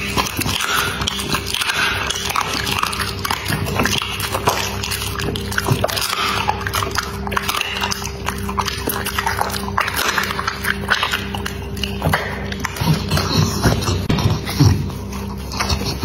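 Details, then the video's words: Dog eating, with dense, irregular wet chewing, crunching and sharp biting clicks running nonstop over a steady low electrical hum. "Dog Eating ASMR"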